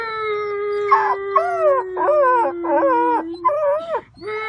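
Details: Puppies howling: a low steady drawn tone runs throughout while a higher voice breaks into a string of short wavering whines, roughly five of them, before the low howl resumes alone.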